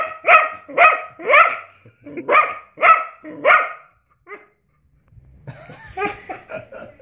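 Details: House dog reacting to armpit fart noises with a burst of seven loud, evenly spaced barks, about two per second, then a pause and softer, rougher barks and human sounds at the end.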